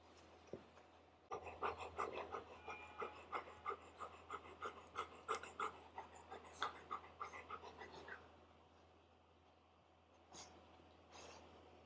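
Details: Golden Retriever puppy meeting its older brother, also a Golden Retriever, for the first time; quick rhythmic panting bursts about three per second for several seconds, then fading, with a few soft clicks and rustles indoors.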